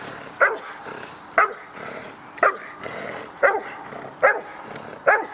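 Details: Dog in the protection phase of the NIK 2016 dog sport trial giving loud, sharp barks, six in all, spaced roughly one second apart, over a steady murmur of background noise.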